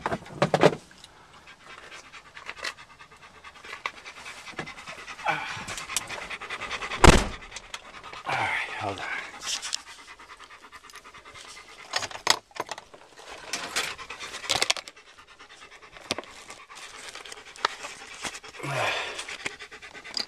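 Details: Black German Shepherd dog breathing hard in rhythmic panting, rapid airy puffs in uneven clusters, with a thump and intermittent human speech nearby.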